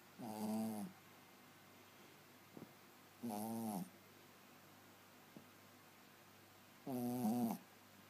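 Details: Yorkshire Terrier snoring indoors: three drawn-out, nasal, harmonic-rich snores roughly three seconds apart, each lasting about half a second to a second, with faint soft clicks between them in a quiet room.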